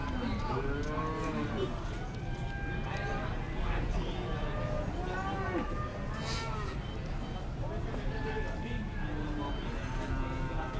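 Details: Cattle crowded at the Ngadiluwe cattle market, Kediri, East Java, which also trades goats and sheep; several overlapping moos and lowing calls repeat throughout, mixed with loud crowd noise and voices.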